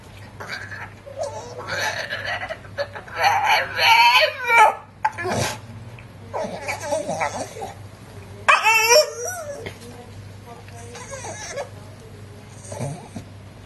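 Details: Titan, a male Staffordshire Bull Terrier, excited indoors with children around and trying to get a girl to share her cupcake, gives wavering, whiny yowls in uneven bursts, mixed with children's voices and laughter.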